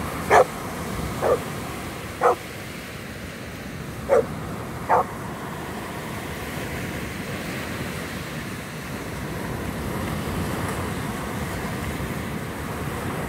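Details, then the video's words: Five short, loud barks come in quick succession within the first five seconds from Daffi, a Cane Corso filmed at Ustka in 2019, then only a continuous rushing background noise remains. "Cane Corso Daffi"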